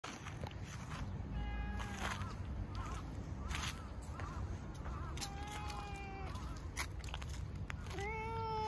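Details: Orange tabby cat, outdoors, meowing while yawning as it seeks affection; several drawn-out harmonic meows, some wavering, the last rising then holding steady, over low rumbling background noise.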